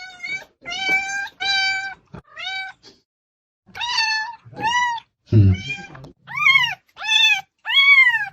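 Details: Domestic cat meowing loudly in a series of harmonic, slightly rising-then-falling meows, some short and some drawn out, with brief pauses and a low rustling thump midway.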